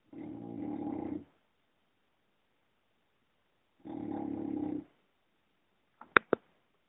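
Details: Female English Bulldog snoring while asleep indoors: two long, low, rattling snores about a second each, spaced roughly three seconds apart, followed by a couple of sharp clicks.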